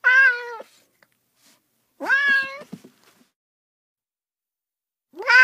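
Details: Two plaintive cat meows, a second apart, followed by a few soft clicks and the start of a third meow at the end.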